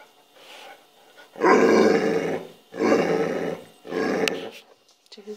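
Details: Penny, an adopted mixed-breed rescue dog, indoors after supper, gives three drawn-out, throaty growling vocalizations, each about a second long and separated by short pauses, while a woman chats to her.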